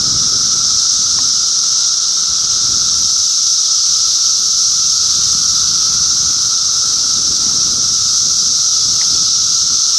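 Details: June 2013 cicada chorus from Middlesex County, New Jersey, a loud, seamless high buzzing wall of sound sustained for ten seconds, accompanied by a steady fainter mid-pitched tone and very little background noise.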